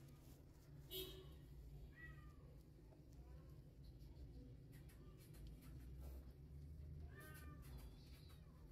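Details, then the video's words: One-day-old newborn kittens, hungry and crawling in search of milk, give thin high mewing cries around 1 and 7 seconds, with a few fainter mews between, over steady low hum and scattered clicks. "1 Day Old Newborn Kittens Are Hungry They Started Crawling For Milk And Searching"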